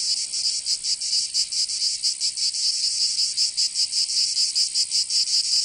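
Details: High buzzy cicada song recorded in summer in Provence, France, pulsing rapidly with slightly uneven beats, a steady dense drone throughout.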